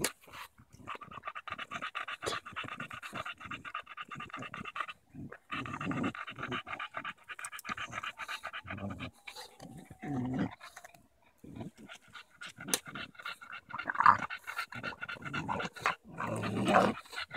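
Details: Daisy, a Bulldog, on a July 2014 walk in Erindale Park, battling a branch she treats as a stick; rapid rhythmic panting dominates throughout, with brief louder snorts and a few words of encouragement from a person.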